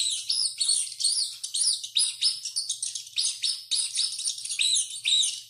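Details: Running rat letting out loud, repeated screams: sharp high squeaks with rising-and-falling arcs, roughly three or four per second in an unbroken chattering stream.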